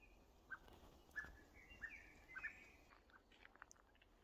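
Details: A male Maine Coon cat in a forest gives soft, clipped chirps at a bird high in a tree, short bright notes repeated about every half second.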